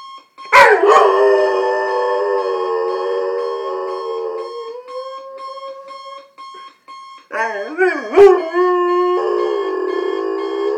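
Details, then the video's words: A roughly 2-year-old male German Shorthaired Pointer, who hates his owner's morning alarm, howls at it in long, wavering notes over the alarm clock's steady electronic tone until it turns off. "German Shorthaired Pointer Dog Hates Alarm Clock"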